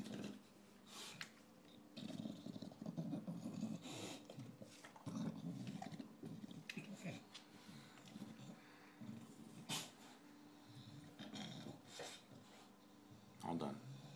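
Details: A recently adopted male English Bulldog eats his dinner noisily, with wet chewing, crunching clicks and low snorting grunts.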